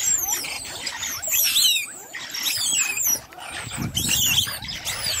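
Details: In Marloth Park, banded mongooses defending their den from a monitor lizard give a dense chorus of shrill, overlapping squeals and chirps.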